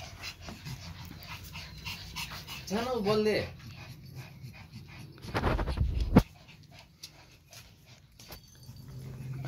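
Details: Pomeranians playing fetch with a new ball; a brief wavering, high whine rises and falls around three seconds, followed by rustling, a sharp knock and a person speaking.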